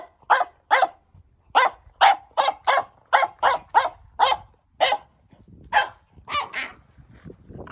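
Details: Female French Bulldog puppy excitedly playing with a stick, barking in a steady run of about fourteen short, sharp yaps over eight seconds, each bark clipped and roughly half a second apart, with faint rustling underneath.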